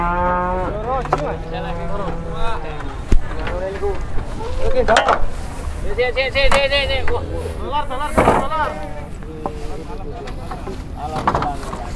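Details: Peranakan Ongole cattle in a busy Muntilan market, Indonesia, on a cloudy morning: many overlapping moos, some long and low, others short and wavering, from several animals amid voices and clatter.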